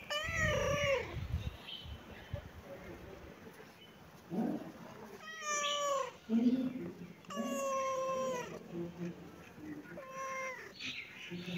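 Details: Cats and kittens meowing: a series of clear, rising-then-falling meows spaced a few seconds apart, some short and some drawn out, with people talking in the background.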